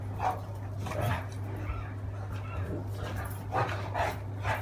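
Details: During a fight between a Great Dane and a Beagle, short gruff barks and snarls come in quick uneven bursts, roughly one every half second, with a steady low hum beneath.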